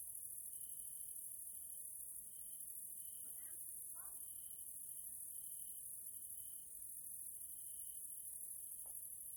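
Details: Central European grasshoppers (Caelifera) calling at evening in a nature area in Hungary: a dense, steady high shrilling with a train of short mid-high tones, interrupted by a few brief chirpy sounds.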